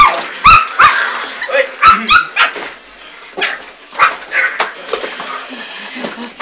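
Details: Fox Terrier puppies giving short, high, squeaky yips and whines in irregular bursts, busiest in the first two seconds, with rustling and handling noise and a person speaking Portuguese.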